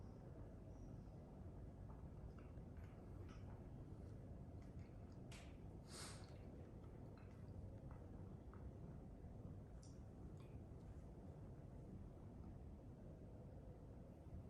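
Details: Scottish Fold cat asleep on its back in a kitchen, purring: a soft, continuous low rumble with steady pulsing texture, plus a few faint clicks and brief higher snuffly sounds scattered through.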